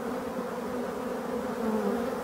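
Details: Colony hum of European dark bees inside an abandoned hive being restored, a dense, even, low drone with no pauses, steady for the whole moment and free of other sounds.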